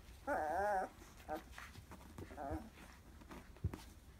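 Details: Labrador Retriever x German Shepherd puppies, 14 days old, from the first litter of Labrador dam Bella and German Shepherd sire Roman, born 11/8/2015, recorded indoors 11/22/2015; a wavering, high whine lasting half a second, then shorter squeaks and soft rustling.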